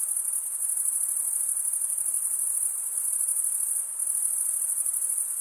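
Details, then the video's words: Crickets chirping in a dense, unbroken chorus: a steady, very high-pitched shimmering trill that holds the same level throughout, with no other animals or noises standing out. "Most relaxing cricket sound for 8 hours"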